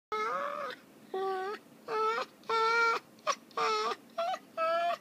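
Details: Small pet dogs in one of their twice-daily fights, one female sounding rather like a monkey: seven clear, tonal, nasal squeals with rich harmonics, each about half a second, some with a rising end, in quick succession.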